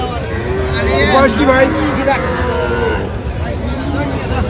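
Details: Cows and calves at Aftabganj livestock market in Dinajpur, recorded 17/1/26; a low, drawn-out moo with stacked harmonics rises through steady human chatter, bargaining voices and passing vehicle noise.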